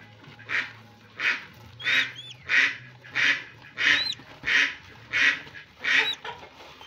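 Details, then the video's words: Rhythmic puffing snorts from albino hedgehogs brought together for mating in Kediri, evenly spaced roughly every two-thirds of a second, with a few sharp upward chirps overlapping and a faint low hum. "jodohin landak albino"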